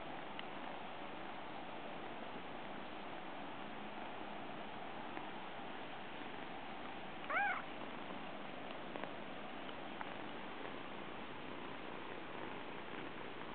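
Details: A brown Munchkin kitten, wanting affection, gives a single short, high meow as it approaches, against a steady background hiss.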